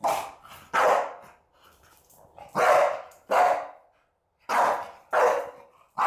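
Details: Around 28 kilos and eleven months old, the Staffie named Rocky goes wild at the smell of opened cinnamon. Loud, harsh barks come in pairs separated by short quiet gaps over a few seconds.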